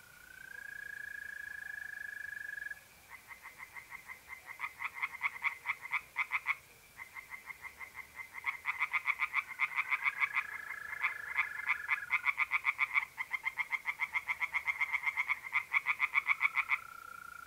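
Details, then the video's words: Tree frogs singing in a pond on an April night in north-east Italy. Rapid pulsed croaks at about four per second come in long runs. A steady, even trill of mole crickets hums beneath and between the runs. "relaxing singing tree frogs in pond and trilling mole crickets by night"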